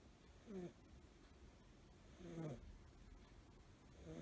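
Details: Suzu, a male blue tabby American Shorthair kitten five months old, snores while sleeping curled up. Two low, grumbling inhalations about two seconds apart, with harmonic buzz, in a quiet room.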